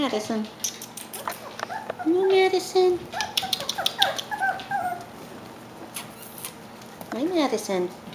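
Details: Klee Kai and Shiba Inu cross puppies a little over five weeks old whimpering and squeaking in high wavering cries, several overlapping, while a woman talks to them indoors.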